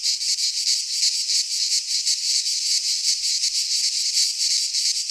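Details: Greek pine-forest cicadas in midsummer, their shrill electric buzz pulsing in quick regular beats, a thick continuous chorus filling the air.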